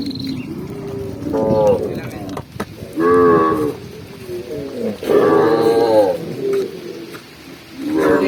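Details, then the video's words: Tame cattle running down a green hill while being herded; short moos sound in separate bursts about every one to two seconds, some clear and some muffled, against a rustling background. "cow sound cow Moo"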